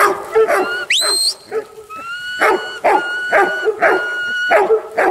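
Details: Huntaway dog giving deep, rough barks about twice a second, broken near the start by a sharp rising squeal and overlaid with long steady high whining tones.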